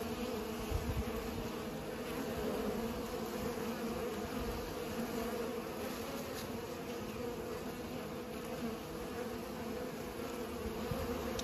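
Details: Bees busy pollinating give a sustained, even buzzing drone, many wingbeats blending into one hum, with occasional brief low thumps and faint clicks.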